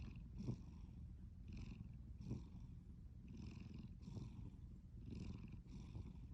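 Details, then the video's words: Soft rhythmic snores from a sleeping cat: a low droning rumble with faint airy breaths spaced roughly a second apart, plus a few small clicks. "Snoring and sleeping cat"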